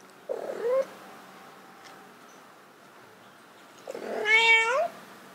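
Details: Domestic cats Bluey and Kage trying to mate, indoors: a short strained meow, then a louder drawn-out caterwaul with rich harmonics that rises and wavers, about three seconds later.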